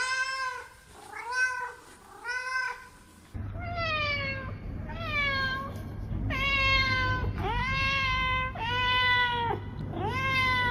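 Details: Cats meowing over about eleven seconds: three short arched meows, then a run of longer flat-topped meows repeated roughly every second over a steady low hum.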